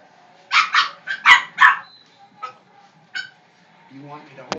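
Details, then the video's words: Pet dog barking at a broom, a quick run of four sharp yapping barks, then a few scattered softer barks and a brief human voice near the end. "Isis barking at a broom."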